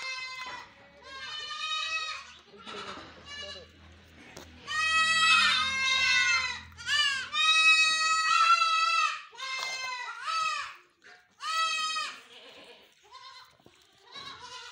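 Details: Goats kept on a commercial farm bleat repeatedly with quavering, nasal cries, some long and some clipped. A low rumbling hum sounds briefly early on, and softer calls fill the gaps.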